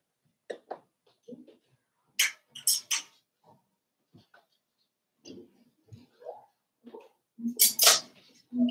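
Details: Five-week-old Cavalier King Charles Spaniel puppies in their indoor pen give scattered short squeaks, yips and whimpers, some high and thin, others lower and throaty, in irregular bursts with quiet gaps between.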